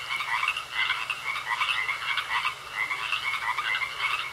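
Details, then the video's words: Frogs croaking in a pond: a dense chorus of short raspy croaks overlapping steadily, with a constant thin high tone running underneath throughout. "Sounds Of Frogs Croaking In A Pond"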